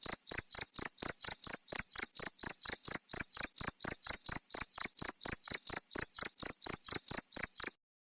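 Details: Cricket giving evenly spaced, high, sharp chirps about twice per second, presented as a rat-repelling sound, stopping abruptly near the end and leaving silence.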